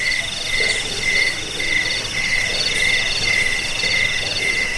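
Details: Jangkik cricket sound for repelling rats, sleeping and bird tutoring: a lower chirp stands out, repeated in bursts about every half second, with fainter high trilling behind and a slightly rougher background.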